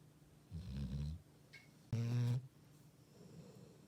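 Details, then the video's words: Sleeping Labrador Retriever: two low snores in quick succession, the second louder and sharper with a buzzy, nasal rattle, then quiet breathing. "리트리버 코골이"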